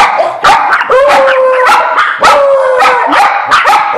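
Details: Several pet dogs go wild barking at a squirrel: rapid, overlapping loud barks mixed with drawn-out, howl-like yelps that slide slightly downward, continuous for four seconds.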